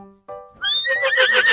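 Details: Horse neighing in a short, high whinny that quavers rapidly while it descends and trails off, preceded by a few brief musical tones.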